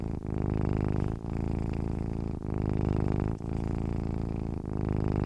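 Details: Purring from a sleeping domestic cat, a low throaty rumble pulsing with inhale and exhale, small gaps around every second, in a quiet setting.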